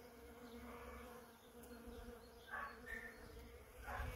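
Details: Bees at a hazel tree on 20 February 2022 give a quiet, continuous hum. A few brief chirps cut in near the end, likely from birds.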